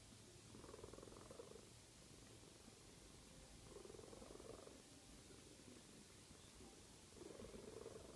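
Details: A sleeping domestic cat snoring: faint, raspy, breathy bursts in a low-to-mid register, one roughly every three and a half seconds, over a steady low hiss.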